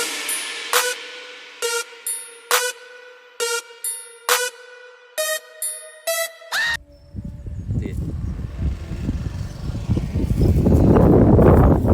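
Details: Electronic music with evenly spaced synth hits gives way to a heavy rumbling bass passage, and no animal voice is heard.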